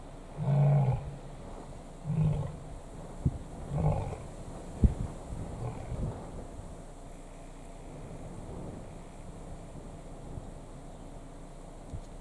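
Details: Lions at Kruger National Park, South Africa, three big males vying for a single lioness: three short, low roars in quick succession, each a little fainter, then quiet with scattered clicks and soft outdoor noise.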